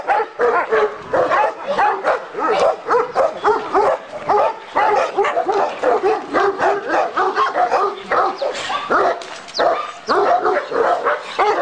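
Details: Chorus of dogs, a Turkish Malakli and a Korean Jindo among them, at a kennel specialising in Alabai: steady barking at about 100 barks a minute, irregular and overlapping, mixed with yips.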